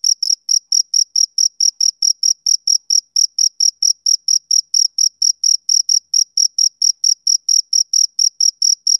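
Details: A male cricket on a summer evening chirps in a crisp, metronomic series of short shrill pulses, roughly three to four per second, with a faint upper overtone and total quiet between notes.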